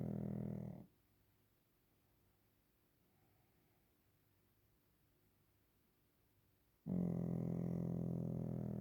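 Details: Waffle the Pekingese asleep indoors; a low, throaty snore fades out, followed by about six seconds of near silence, then another loud, rattling snore begins and holds steady.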